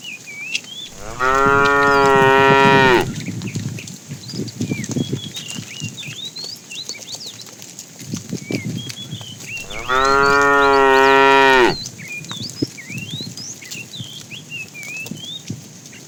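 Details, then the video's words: Two long, loud moos about eight seconds apart, each lasting roughly two seconds, from a fat cow calling the female as tame cows are herded in the afternoon; scattered bird chirps and soft knocks and rustles fill the gaps. "The funny sound of a fat cow calling the female"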